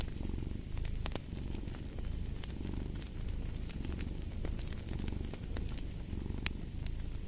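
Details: Domestic cat purring steadily for sleep and relaxation, a deep continuous low rumble in slow rhythmic waves, with sharp crackles and pops of a fireplace scattered throughout.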